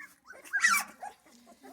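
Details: Central Asian Shepherd Dog puppies at their first feeding: a short burst of high, squeaky whimpering yelps, loudest near the middle, with soft lower whines before and after.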